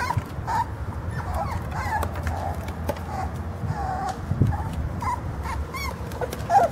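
Jack Russell Terrier puppies give thin, high whimpers and squeaks in short, uneven bursts.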